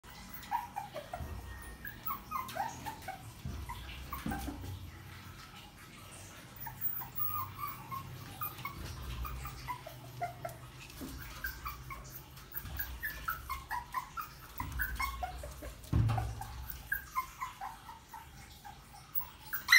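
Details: Puppy making repeated high whimpers and yips in bursts, with quieter stretches between, low rumbling background noise in a small room.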